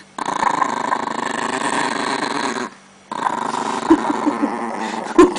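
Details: Chihuahua defending pancakes indoors, a long continuous low rumbling growl sustained for over two seconds, a short pause, then resumed growling with a few sharper snarls at the end.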